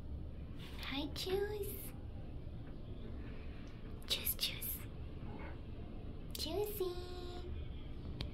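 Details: Miss Juicy, a usually quiet cat, being talkative and loud indoors: short rising-falling meows near one, one-and-a-half and six-and-a-half seconds, with a woman speaking softly to her between calls.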